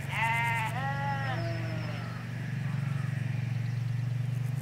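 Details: Ewes and lambs in a Hampshire countryside field, recorded by a hedge away from the road: two wavering harmonic bleats open the clip, then a lower short one, over a steady low rumble.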